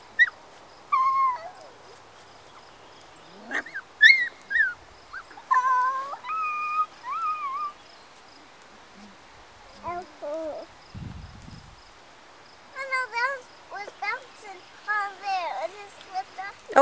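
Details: Four-week-old Golden Retriever puppies romping outdoors with children in late spring sunshine; high, thin whines and yelps that rise and fall, scattered in short bursts throughout, with a brief low rumble near the middle.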